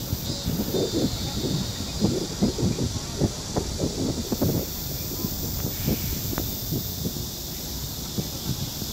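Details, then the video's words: Cicada singing very close on a tree in Seoul, South Korea, July 2018, recorded on a Samsung Galaxy S9+: a steady, hissing high buzz held without a break, over low knocks and rumbling background noise. "Cicada singing in July, very close!"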